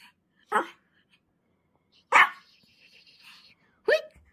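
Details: Playful orange Pomeranian puppy giving three short, bright, high-pitched yaps about two seconds apart indoors, with a brief faint whine after the second yap.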